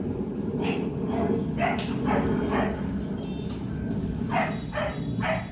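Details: Playful Rottweiler puppies, four months old, offspring of TEDI and Dakota at Gervi kennel, give a run of about seven short, sharp barks in two bursts over constant low background noise.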